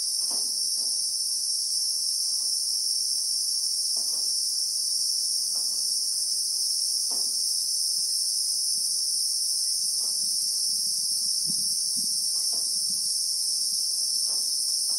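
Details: South African bushveld chorus of Christmas beetles (Anoplognathus) among acacias, heard in real time. A continuous piercing buzz holds level throughout, while brief faint knocks and rustles come and go underneath.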